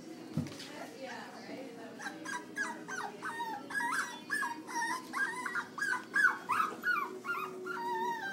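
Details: A mixed-breed puppy gives a rapid series of short, high whining yips, about three each second, starting after a quiet opening and continuing steadily to the end.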